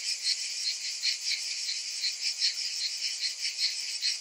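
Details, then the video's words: Cicadas calling in summer heat, a piercing high buzz with bright ticking accents repeated around every half second over a steady whining background. "Cicadas in Summer"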